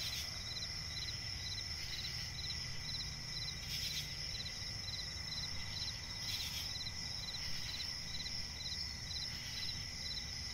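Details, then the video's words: Night forest swamp ambience of crickets, a piercing continuous high whine layered with quick evenly spaced chirps, plus occasional short bursts of broadband rustling and a steady low background hum. "cricket chirping relaxing sound in night forest"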